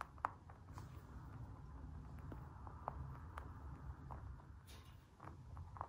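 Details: Dwarf-breed pet bunnies crunch food while eating, giving soft, irregular clicks and snaps over a low, steady rumble.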